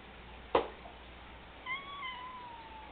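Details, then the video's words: Pet cat replying to a woman speaking to it: a sharp knock, then a sustained, slightly wavering meow that fades out over about a second. "My talking cat"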